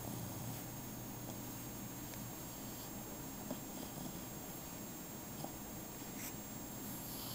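A Boston Terrier snores softly, a low, steady, rattling rumble with each breath.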